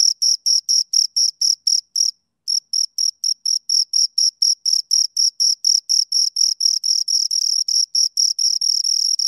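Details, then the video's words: Pair of crickets giving rapid high-pitched chirps in an even pulsing train, briefly pausing near two seconds before resuming, the pulses later blurring into a near-continuous trill; no background sounds. "Two Crickets Chirp Sounds"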